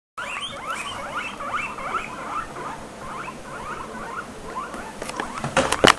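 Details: Three pet guinea pigs squeaking together: dense overlapping rising chirps and squeals repeated rapidly throughout, with a few sharp clicks and rustles near the end.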